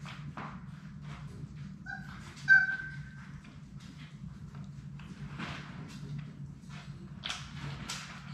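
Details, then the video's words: Labrador Retriever puppies, six littermates at play in a play room: one sharp, high, wavering whimper stands out near the start, followed by soft rustling and scratching against a continuous low hum. "Labrador puppies at play!"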